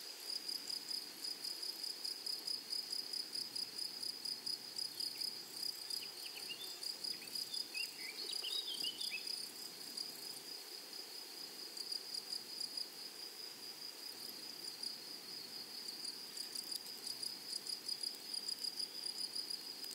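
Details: Flowery prairie grasshoppers hold a long, unbroken high-pitched sizzle with a fine rhythmic pulse. A few distant bird chirps come near the middle.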